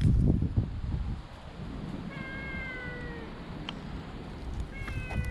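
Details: Stray cats on a walking path, one being petted while others come near, GoPro HERO7 recording: two drawn-out, fairly quiet meows about two seconds apart, steady then falling slightly, amid low rumbling and handling noise.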